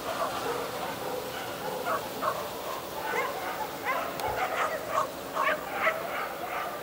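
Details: Whippet at the start of its first run in the Lednický zajíc 2016 lure coursing event: short excited barks and yips repeated in quick bursts, rising in the second half, over steady crowd murmur and voices.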